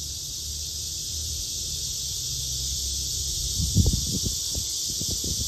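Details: Black cicada (Cryptotympana atrata), part of a male-female comparison: an even, high, hissing drone throughout, with low rustling and knocking handling sounds near the end.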